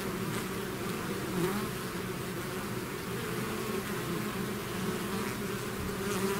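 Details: A swarm of bees out of its hive, a dense steady drone with low humming bands and a shimmering hiss above, individual bees passing close now and then over the continuous mass of buzzing.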